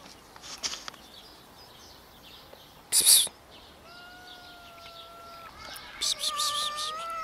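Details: Scared homeless cats, one of four strays gathering for food, give drawn-out, even meows later in the recording. Sharp rustling bursts and soft high chirping are heard in the background.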